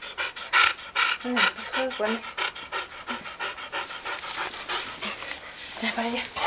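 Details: A dog named Roca, playing with a toy duck, pants in quick breathy bursts, roughly two or three per second, while a person speaks Spanish over it.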